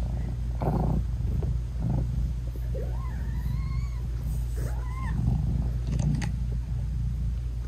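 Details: Mother British Shorthair cat talking sweetly to her tiny newborn kittens while nursing them; a few drawn-out, rising then falling meows stand out over a continuous deep purr, with soft rustling between calls.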